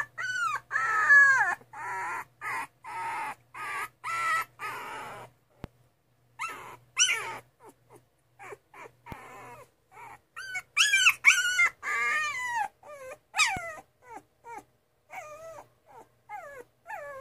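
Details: Two-and-a-half-week-old Miniature Schnauzer puppies crying in bursts of high, quavering whimpers and squeals, with pauses between runs of calls and a faint low hum underneath.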